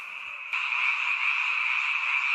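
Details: Seasonal night chorus of frogs in a mountain village; quieter at first, then a sudden jump to loud, continuous massed croaking.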